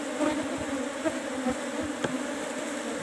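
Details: Cultivated Apis cerana colony buzzing in its hive box during honey harvest; a sustained humming drone with soft tapping and one sharp knock near the end.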